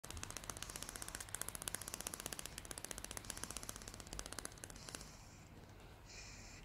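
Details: Salty, a female greyhound, chattering her teeth out of happiness indoors: a rapid, fast-ticking train of dry clicks for about five seconds, then fading to a faint hiss with a brief high tone.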